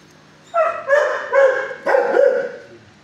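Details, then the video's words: Six-year-old dog in an animal shelter kennel, barking at a caretaker at first: four loud, harmonic barks in quick succession over about two seconds, each slightly falling in pitch, with a quiet background. "at 1st he barks but calm neighbor showed way"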